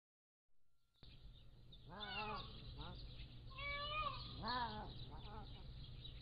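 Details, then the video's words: Pallas's cat kittens, 3 to 7 weeks old, at a wildcat zoo, picked up by a motion-activated trail camera: a run of four or five wavering, harmonic mewing calls in quick succession over a steady low hum. "Pallas' cat kittens growing up, 3 to 7 weeks old"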